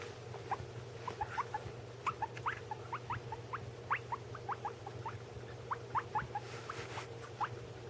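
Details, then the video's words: Pet guinea pigs, one of them eating: many short rising squeaks, faint to moderate, scattered densely across the whole stretch, with occasional soft noise bursts and a steady low hum. "My guinea pig making noises"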